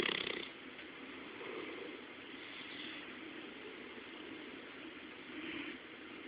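A Bloodhound snores in its sleep, each breath a soft, hissing rasp rising and fading at an uneven pace of a second or two. A steady background hiss runs underneath the breathing.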